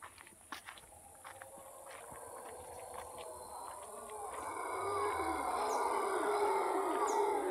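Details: Morning in Cahuita, Costa Rica: distant howler monkeys start quietly under faint clicks and ticks, then their rough, throaty roar swells and grows louder through the second half.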